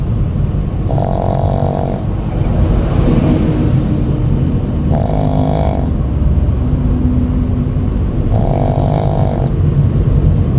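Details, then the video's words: Shih Tzu dog sound asleep, worn out after grooming, snoring while riding home in a vehicle; low nasal snores recur about every three and a half seconds over a steady engine rumble. "시츄 강아지 코골이"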